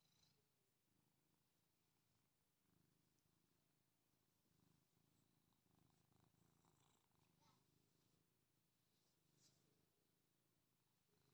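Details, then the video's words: A British cat before dinner purrs with a steady, low rumbling throb, with soft wet licking clicks mixed in. "Purring, licking British cat before dinner. Can you already eat?"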